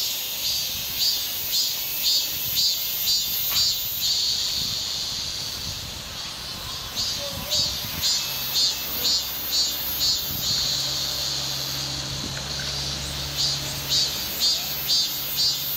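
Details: Cicadas buzzing in a natural outdoor setting alongside grass insects and wind, a continuous shrill hiss throbbing in regular pulses about twice per second over a faint low hum.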